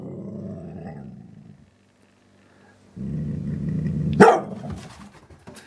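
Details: Dalmatian x border collie, eight months old, grumbling low and steady at her mirror reflection, a first-time encounter; two growling stretches broken by a pause, ending in one loud bark.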